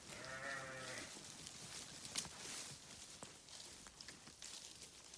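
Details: Sheep uttering one brief, quavering bleat at the start, followed by rustling, clicks and a sharp tap with no further calls.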